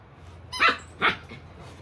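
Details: Excited female Samoyed named Milk, born 26 May 2020, giving two sharp, bright barks about half a second apart while digging, followed by quiet low background hum.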